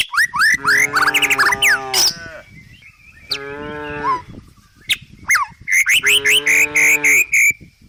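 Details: Tame village cows grazing as they walk down a country hillside through forest give deep, steady moos of a second or two in three bouts, with pauses, while small birds chirp and whistle throughout.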